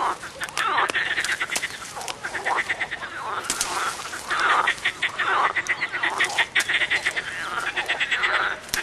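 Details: Frog chorus from a short film: many overlapping pulsed, rattling croaks and trills, dense and continuous, with sharp clicks scattered throughout.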